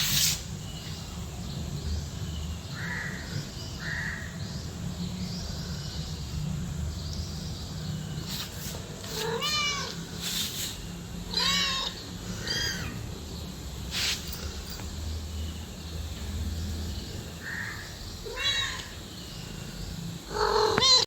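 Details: Cat and kitten meowing: brief arched mews recur every few seconds over a steady low rumble and hiss, with sharp clicks and knocks in between.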